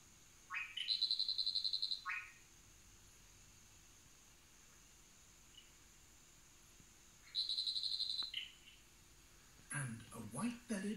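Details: Frog calling after two males fought over a female, the winner taking the top place; two high trilled call bouts with sharp pulsed notes, separated by a long quiet gap, then handling noise.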